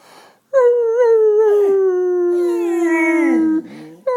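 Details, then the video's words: A female dog howls like a fire engine, giving a long, siren-like howl that slides slowly downward over about three seconds. "Dog howls like a fire engine!"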